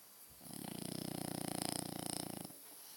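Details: Loud, massive snore from a French Bulldog, one of two pets, recorded indoors: a deep, coarse vibrating rattle held for about two seconds, pulsing rapidly and evenly, with quiet room hum on either side.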